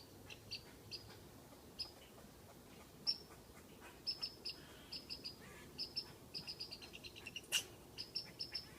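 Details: Squirrel in a tree teasing a cat with whistles: thin, high, clipped chirps, scattered at first, then clustering into quick doublets and triplets toward the end, with a soft rumble underneath.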